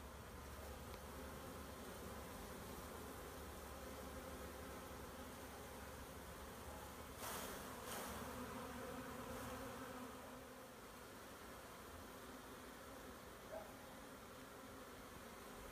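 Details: Honey bee swarm being collected: a steady, dense, low buzzing hum with a faint higher overtone, broken around the middle by a pair of sharp knocks or clatters, then continuing more quietly.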